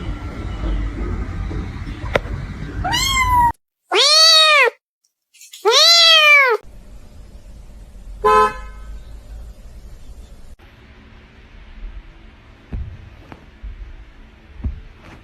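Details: Domestic cat meowing: two loud, drawn-out meows with arched, rising-then-falling pitch about two seconds apart, followed by a shorter third cry, over a low background hum and a few faint clicks.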